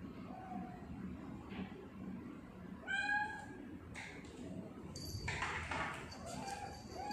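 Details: A single bright, clear meow from Sia, a pet tortoiseshell cat, recorded on 2019/10/21, followed by household clatter and clicks in a quiet indoor room.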